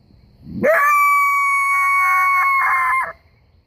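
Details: A common coyote, out in bright sunshine, gives a single howl that swoops up quickly and then holds a clear, steady note.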